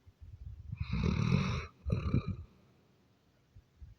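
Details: A Doberman snoring: one long, deep, rumbling snore of nearly a second, then a shorter second snore, low and throaty with a rattling texture, followed by quiet breathing.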